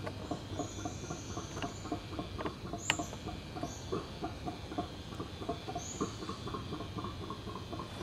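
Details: A backyard group of Alouatta howler monkeys, known as bugios, produces a continuous, gravelly pulsed chorus, about four beats a second. Short high bird notes and a single sharp snap sound behind it.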